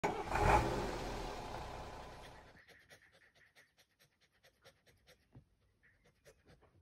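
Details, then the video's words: Doris, a pet dog, pants in rapid, fairly even bursts after a loud broad rush of noise fades out in the first two and a half seconds; soft rhythmic breaths follow, roughly three per second. "Starting my dog engine."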